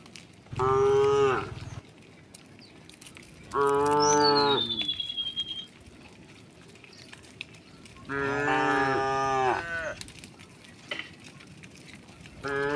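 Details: Tame cows herded home to the pen through a village in the afternoon, lowing in loud harmonic moos of one to two seconds, three calls spaced a few seconds apart, with a thin descending bird whistle between them.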